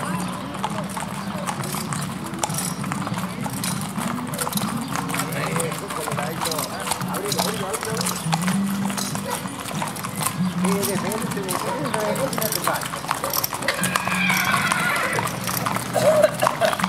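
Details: Criollo horses parading along a town avenue in Pampayasta at sundown on Saturday 03/12/2016; steady clip-clop of hooves on the street under constant crowd chatter, a low droning hum and some background music.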